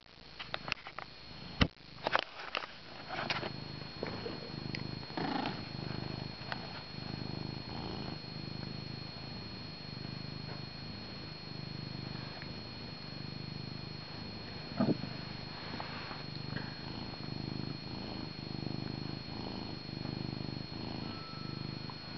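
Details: Male pet cat purring loudly beside his owner, sometimes likened to an old motor; a steady low rumble runs throughout with breath-paced swells, interrupted early by sharp knocks and jolts as he pounces on a swinging camera strap.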